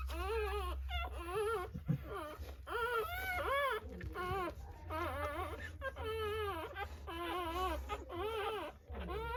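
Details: Rottweiler puppies just born in a natural birth cry in repeated wavering, quavering whimpers, each lasting about a second with short gaps, against a constant low background hum.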